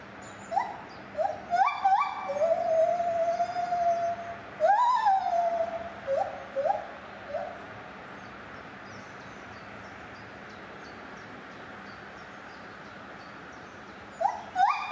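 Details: White-handed (lar) gibbon in a safari park, 9 July 2021, sings pure, hooting notes that swoop up and slide down, with one long wavering hoot.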